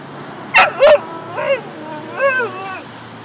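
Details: Spitz-Chow dog on a morning walk, excited by a squirrel in a tree, gives two sharp yips followed by arching, wavering whines; faint background hum.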